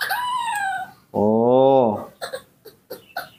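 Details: Nomi, a newborn baby monkey in human care at home, calls for its mother with a sustained, falling whistled cry. A lower, drawn-out voiced sound and short squeaky chirps follow, with a person talking nearby.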